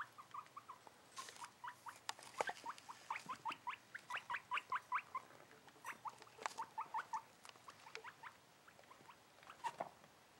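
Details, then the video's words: Seven-month-old pet guinea pig, excited during cage cleaning, giving steady runs of short upward-sweeping squeaks, several per second, with occasional clicks and rustling of bedding. "Guinea pig makes cute noises"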